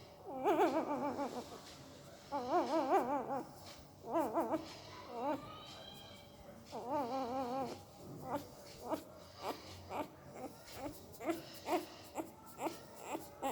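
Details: Puppy asleep and likely dreaming, giving weird mouth noises: several wobbly, quavering whines at first, then a steady string of short, soft pulses about twice a second, indoors in a quiet room.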